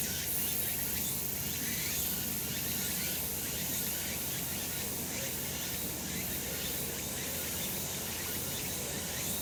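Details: On a sunlit summer mountainside, cicadas keep up an unbroken high sizzling drone with faint rhythmic throbbing, loud and even throughout, over low ambient rumble.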